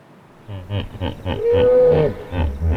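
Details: A hippopotamus in its natural habitat in Africa gives a rhythmic run of deep, throaty grunting honks.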